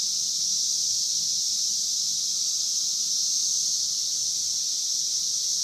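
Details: Many Brood V periodical cicadas, 17-year Magicicada, sing in Logan, Ohio, near Vine and Walnut. Their massed song forms a constant shrill, buzzing wall of sound that never pauses, with a faint lower hum behind it.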